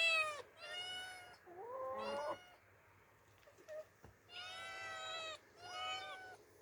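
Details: Two orphaned female cats, Demi and Dena, encountering open nature for the first time. Quieter, fairly distant meows, some short and some wavering, in clusters with pauses between them.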